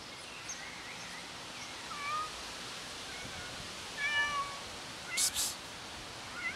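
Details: A cat waiting for its owner makes several faint, short meows scattered across the recording, some rising and some falling, against steady background hiss, with a brief sharp noise burst near the end.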